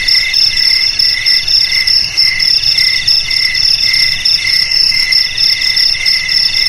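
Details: Crickets chirp in a high, ringing, evenly pulsed rhythm, about one burst per second, layered in several tones; played as a remedy to scare rats from houses, garages, storerooms and paddies.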